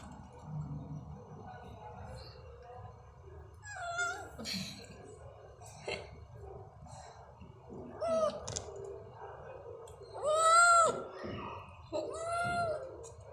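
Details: Stray cats at night, dated 09.10.23 at 22:39, giving several drawn-out, wavering meows with rich overtones. The calls come near the end, the loudest a long rising-falling meow, over soft rustling and faint background noise.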